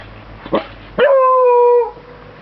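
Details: Bruno, a pet Beagle, gives a short yelp and then a steady, drawn-out howl lasting about a second, a clear level tone with rich overtones that ends abruptly.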